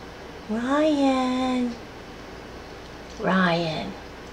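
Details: Two meows from a laid-back female rescue house cat living alongside a dog and a second cat, indoors: a long call that rises and then holds steady, followed by a shorter call that slides downward, with quiet room tone between.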